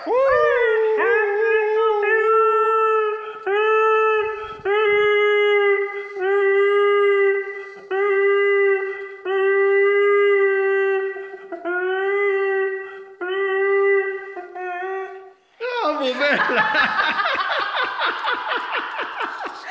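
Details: A Weimaraner, imitating a Star Wars Wookiee, gives a string of short, wavering, moaning howls, each slightly rising then falling.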